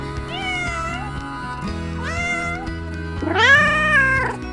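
A domestic cat gives three drawn-out meows. The first two are moderate and the last is louder and longer. Steady background music plays throughout.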